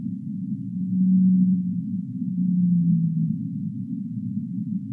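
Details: Whale calling in the deep sea: two low, drawn-out tonal moans, the second sliding slightly downward, over a steady band of low rumbling noise.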